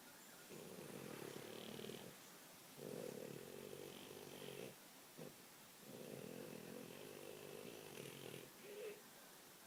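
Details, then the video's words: A dreaming French Bulldog snores in a run of buzzy, rasping breaths, each roughly one to two seconds long, separated by short quiet gaps and faint snuffles. "French Bulldog Snoring"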